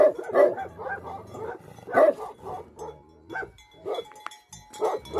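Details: Bhote Kukur, or Tibetan Mastiff, a guardian dog breed from Nepal, letting out several heavy, resonant barks spaced about a second apart, with a brief high metallic clink near the end.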